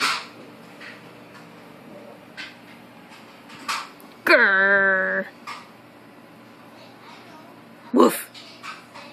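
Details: Maltese named Harry arguing with another dog, Hector, indoors, filmed on a phone: one drawn-out, harmonic, slightly wavering yowl-like bark lasting about a second, with soft speech before and a sharp broadband burst near the end.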